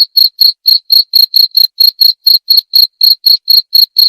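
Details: A short, unbroken stretch of cricket chirping: about sixteen sharp, high-pitched pulses in four seconds, steady in loudness, in clean silence.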